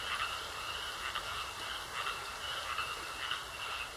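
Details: Pond frogs croaking, softer and more distant pulsed calls blending into a continuous trill over a broad hiss of background noise.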